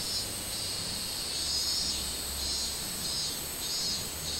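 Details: Softer minmin cicada buzzing from 24 July 2016, a high pulsing drone over a faint low hum in the background.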